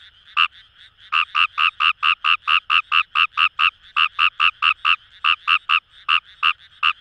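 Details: Rapid bursts of rasping croaks from Fejervarya kawamurai in a paddy field near the Kamo River, Itoshima, Japan, quickening to over two notes a second in runs, with distant frogs calling behind.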